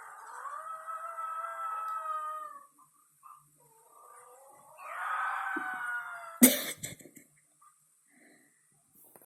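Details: Pet dog howling at home while its owner is away: a long, steady mournful tone lasting over two seconds, a pause with short whimpers, then a second swelling howl, followed by a sharp bang.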